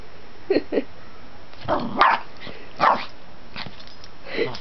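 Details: Pet dog Lacey, a female, indoors, acting wild with too much energy, chasing her own tail and barking at her owner; three or four short, sharp barks spaced about a second apart, with a person's voice speaking between them.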